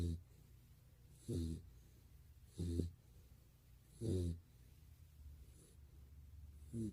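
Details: Sleeping Golden Retriever Barney gives low, rattling snores roughly every 1.4 seconds in a quiet room, four snores with soft breathing between them.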